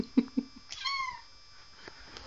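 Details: Bengal cat perched on top of a door indoors after jumping up, giving a single falling meow with clear harmonics, followed by a woman's voice asking how it will get down.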